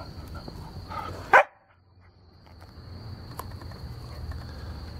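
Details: A 6-month-old salt-and-pepper Standard Schnauzer, at home and really mad, gives one sharp, loud bark, followed by quiet with a faint steady high whine.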